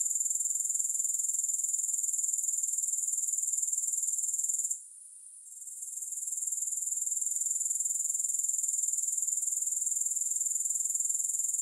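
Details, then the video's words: A shrill, high, unbroken grasshopper trill with a regular pulse of about four per second and no music. A single brief dropout near five seconds is followed by the sound gradually returning to full loudness. "3 Hours of Grass Hopper Sounds"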